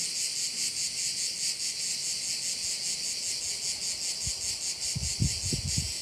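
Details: High, pulsing buzz of crickets at a Korčula bay in Croatia, beating roughly twice each second, with a few soft low thumps near the end.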